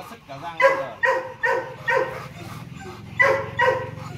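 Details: Gervi Kennel's male Rottweiler Loki, about two and a half years old, lets out quick, ringing barks in two groups separated by a short pause, over a low background hum.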